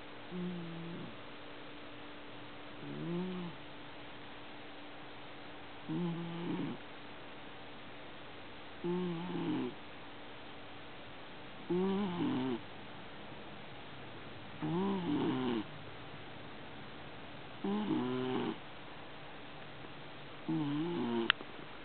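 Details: Pet cat snoring heavily in its sleep, eight low, rasping snores repeated about every three seconds, growing slightly louder toward the end, with a soft background hum.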